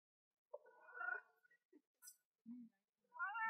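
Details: Cute-voiced cat mewing: a wavering meow early on, a few short soft chirps and murmurs, then a clear upward-bending meow at the end, with a faint hiss-like sound in between.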